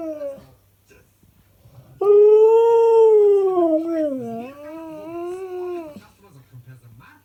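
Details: A husky during its morning 'discussion' that resembles motorbike revving. A single loud howl starts abruptly, sags and then wobbles upward over about four seconds. Faint low chatter comes before and after.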